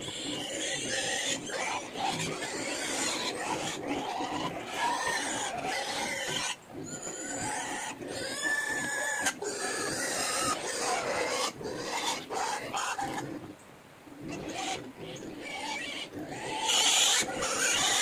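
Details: Native pigs at feeding time, with banana added to their feed, give a continuous chorus of harsh, noisy grunts and squeals with short breaks, as several animals call over one another.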